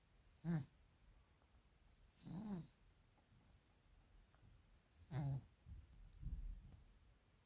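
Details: A sleeping, dreaming Maine Coon cat snores in low, rattling breaths every two to three seconds.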